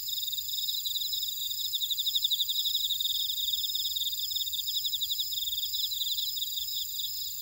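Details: Grass insects in a Jeju buckwheat field at Orado, Jeju City, South Korea, keep up a bright, pulsing high trill over a softer steady buzzing background chorus.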